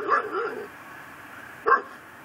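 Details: Pit bull kept tied to a yard post in Chalmette, Louisiana, heard just after midnight on December 24, 2012, giving a short double bark, then a single bark about a second later.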